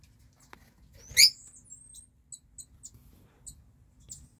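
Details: Mongolian jird or gerbil, Meriones unguiculatus: one loud sharp squeak with a brief trailing whistle, followed by a string of faint high ticks and soft rustles.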